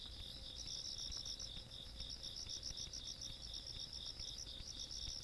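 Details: Rural night chorus of insects recorded 17 August 2022, with continuous fast pulsing trills at two high bands, beats running close together with slight gaps, over a soft low background hum.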